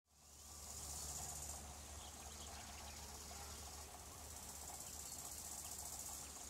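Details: Bow-winged grasshopper (Chorthippus biguttulus), called the brown grasshopper, chirping: high, hissing bursts of stridulation, one long phrase near the start and another after a pause, over a steady low hum of distant engine noise.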